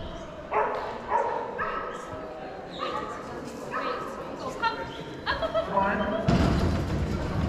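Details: A Boston Terrier, recorded unedited in March 2022, gives a run of short, sharp barks and yips about once a second, with a person speaking in between and a burst of rustling near the end.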